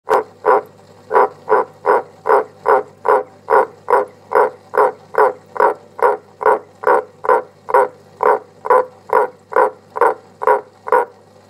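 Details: Captive pet frog giving its loud song inside a cave with strong echo: loud, resonant, mid-pitched croaking pulses repeated steadily about twice a second, roughly twenty-three in a row, with a faint low hum underneath.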